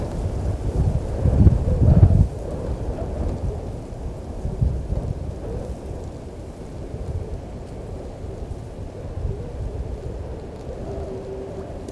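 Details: Thunder rumbles loudly over steady rain and wind at a waterhole, with no animal voice heard.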